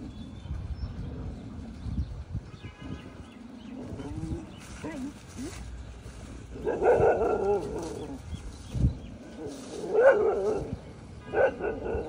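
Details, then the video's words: Dogs fighting with other dogs: rough growls and snarls build into louder bursts of barking and snarling near the end, with some human voices mixed in. "dogs 🐕 fighting with other dogs 🐕"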